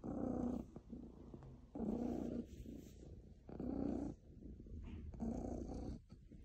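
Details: A very happy pet cat purring, a low rumbling throb that swells into louder bursts roughly every one and a half to two seconds, steady and rhythmic with softer stretches between.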